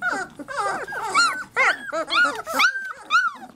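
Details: Indoor chorus of three-week-old Labrador Retriever puppies, overlapping squeaky whines and yelps rising and dipping in pitch, several pups calling at once in irregular bursts.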